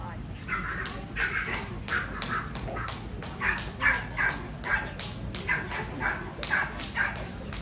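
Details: Dog yipping at an all-breed AKC show at the Allegany County Fairgrounds, Cumberland, Maryland, August 17, 2024; high, short yips repeated roughly every half second through the clip, over steady crowd chatter and arena noise.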